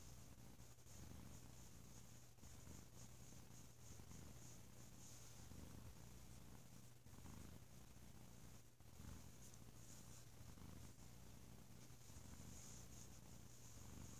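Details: Loud, deep purr of Bo, a drowsy pet cat resting through a lazy holiday weekend indoors; rhythmic low rumbling bursts repeat with each inhale and exhale, unbroken across the recording.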